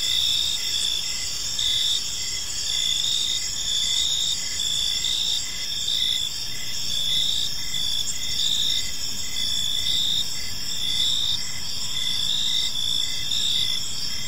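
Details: A calm evening park alive with crickets; overlapping shrill trills run continuously while a lower pulsed chirp repeats at a steady pace, accompanied by a faint low rumble.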